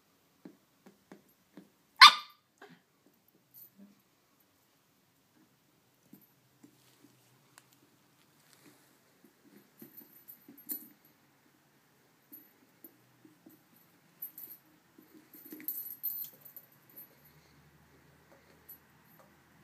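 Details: A 9-week-old female Corgi puppy playing with new toys gives a single sharp, high bark amid soft clicks and rustling.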